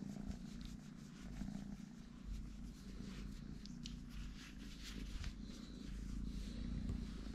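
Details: Small three-legged kitten purring: a steady, low rumbling drone that holds without a break, with faint rustling above it.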